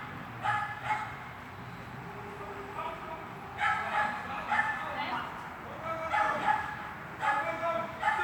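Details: Swiss dog barking during heelwork training in an indoor hall on 13 August 2021: short, sharp, echoing barks in small bursts, some doubled, with gaps between, over a steady hall hum and voices.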